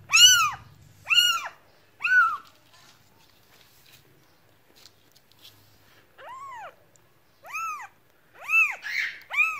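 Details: Meowing cat: three loud arched meows, a pause of about three seconds, then several more meows, some softer and one doubled, over quiet background.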